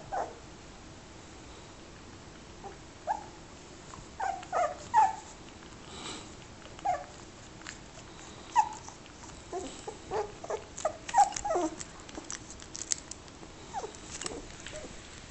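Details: Little fox terrier puppy, son of Glasha, recorded on an Android phone, giving short, high whimpers and yips scattered irregularly across fifteen seconds, some in quick pairs, over a quiet background.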